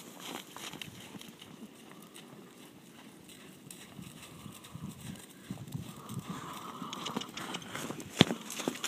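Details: A horse on a farm where horses show upper respiratory noise after exercise, stress or eating, with botulism presumed possible, breathes harshly and noisily, rasping steadily under the thud of hooves.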